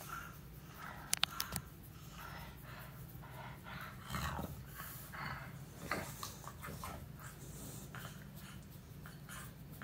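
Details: Meatloaf, an English Bulldog, relaxing under a morning massage indoors: snuffly, snorting breaths in soft broadband bursts over a low rumbling undertone, with a few sharp clicks early on.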